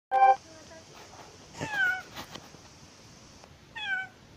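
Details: A domestic cat giving birth to her kitten gives short, strained meows, with a drawn-out falling cry in the middle.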